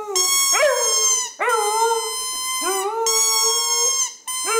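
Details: Pet female dog singing along to her squeaky bowling-pin toy, January 2010; three sustained wavering howls, each opening with a rising swoop and held steady for over a second, separated by short gaps.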